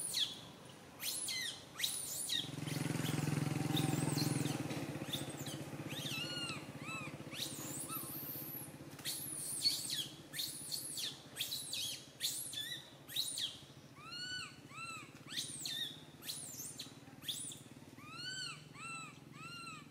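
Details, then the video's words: Baby monkey Santo wails from a tree branch as mother Sara fails to settle him; rustling and a low rumble first, then a run of repeated arched cries quickening toward the end. "Little Monkey SANTO cries on the branch tree so loudly Mama monkey SARA can't take care of him"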